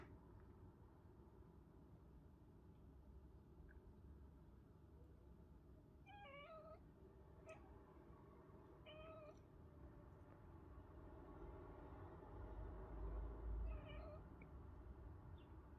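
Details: Domestic cat, one of two housemates (a ginger tom and a tortoiseshell female), uttering weird sounds: a series of short, strained, trilling meows in bursts, several close together, then one more after a gap, against constant low background hum.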